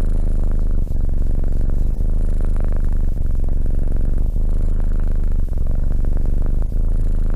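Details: Continuous low cat purr, a rich rumbling throb interrupted by brief pauses about every second at each breath, steady and loud from start to end.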